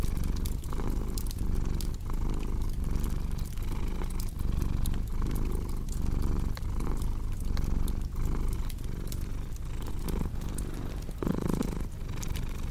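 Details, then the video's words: Soft, rhythmic cat purring, a low throbbing drone in regular breath-length waves, mixed with the steady popping of a crackling fire and a brief louder rustle near the end. "Purring Cat with Cozy Crackling Fireplace Sound"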